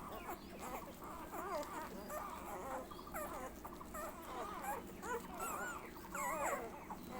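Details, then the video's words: Labrador puppies suckling milk, making a busy stream of high, squeaky, wavering whines and whimpers that overlap continuously, with soft background rustling. "cute labrador puppy sucking milk"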